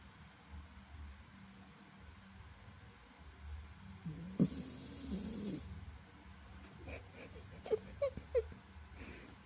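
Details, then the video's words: Elderly twelve-year-old Spitz dog asleep indoors, snoring softly: low, rough rumbling breaths repeated at an uneven pace, with a brief louder rustling burst midway and a few sharp clicks near the end. "코고는소리 듣고가세요🤣코골이ASMR"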